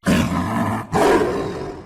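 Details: Tiger roaring: two loud, deep, rough roars in quick succession, the second rising after a brief pause.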